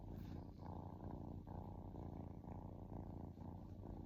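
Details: Relaxing pet kitten purring steadily, a low rumbling drone with a rapid pulsing flutter and slight dips in loudness roughly every second, in a quiet indoor setting.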